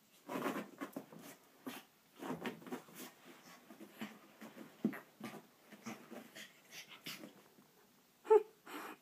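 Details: Chihuahua rolling about on a carpet just after a shower, Amarillo, Texas; low grunting snorts and wheezy breaths in uneven bursts, with a brief sharp squeak near the end, in a small room.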